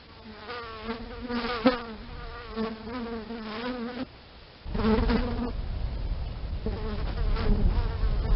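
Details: Bee buzz as a loud wavering drone, rising and falling in pitch, broken by a short quieter gap before a rougher, closer burst of buzzing.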